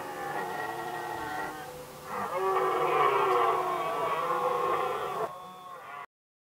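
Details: Red deer rut in Västmanland, Sweden, 2010, stags contesting hinds: a moaning roar, a short pause, then a louder, hoarse sustained bellow that fades before the recording cuts to silence.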